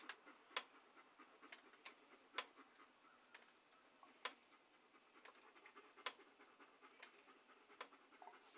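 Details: Dog panting softly, close up, for relaxation listening: quiet breathy huffs in an uneven rhythm, roughly every second or so, with faint sharp clicks between the breaths.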